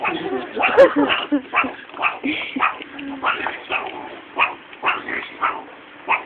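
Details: Captive meerkats at a college growl and bark while being fed mealworms in tubes: a rapid run of short, rough, irregular bursts, with people talking and exclaiming over them.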